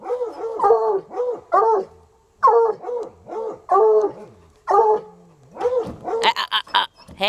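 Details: Coonhounds Sunny and Hazard, untrained dogs, still going after about three hours at a rural home. They give around nine rich, rising-and-falling barks in quick bursts, then a harsh, noisy clatter near the end.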